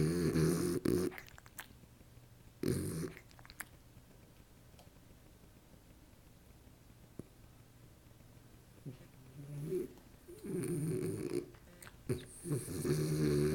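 A French Bulldog snores in low, rumbling, nasal breaths with long quiet pauses between them.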